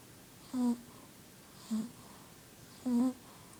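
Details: Bella, a pet Shih Tzu, asleep indoors, gives three short nasal snores with a low, buzzy tone and faint overtones, spaced about a second apart in a quiet room.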